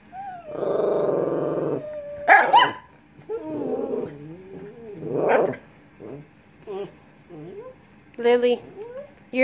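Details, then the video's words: Lhasa Apso "talking" at home: a long groaning grumble, then short yips and wavering whiny moans that bend up and down in pitch, with a person speaking to the dogs between the sounds. "Talking Lhasa Apso!"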